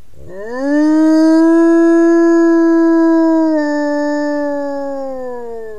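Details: A gray wolf gives a long, steady howl that swoops up, holds its pitch, then sags away, likely calling to its family group, perhaps asking where they are; finding: Gray wolf.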